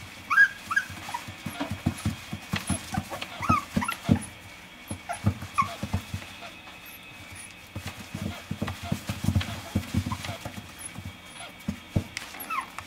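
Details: Dog at a pet shop whining in brief high squeaks at the start and near the end, with frequent low thumps, shuffling and murmured voices in between against a constant background hum.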